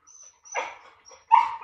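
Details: Pet dogs, a Labrador named Laoda and a Teddy named Shiliu, during a patience contest; two short yelping barks, the second louder and higher, with faint thin whining between them.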